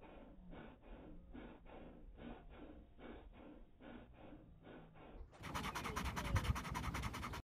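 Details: Slow-motion panting of a dog, a run of soft, evenly spaced huffing breaths, roughly three or four a second, before a sudden switch to a louder, brighter, rapid breathy rush near the end.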